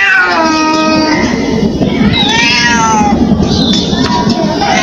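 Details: Street cat in India crying with long drawn-out wavering meows, one sliding upward then tailing off, followed by a higher thin cry, against constant low background noise.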